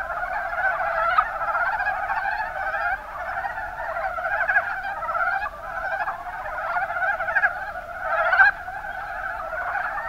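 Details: Mountain brown frogs, Rana ornativentris, calling in the Kuma Basin of Kumamoto, Japan: a dense chorus of low, rapid clucking croaks that overlap continuously, with louder individual calls rising out of the mass now and then.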